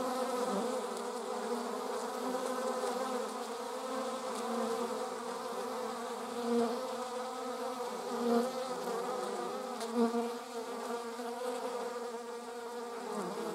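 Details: Honey bees among wasps, a steady layered buzz of many overlapping wingbeats with stacked harmonic tones, brief louder swells as single insects pass close around 6.5, 8.3 and 10 seconds.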